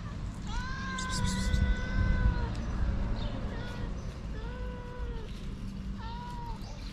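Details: Homeless street cats, a mother looking for love and her timid kittens, make several drawn-out meows. A long one is followed by shorter, slightly bent calls, over steady low background rumble.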